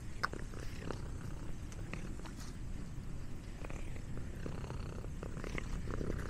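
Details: A pet cat eating snacks, purring steadily in a low rumbling drone with scattered soft clicks and chewing noises.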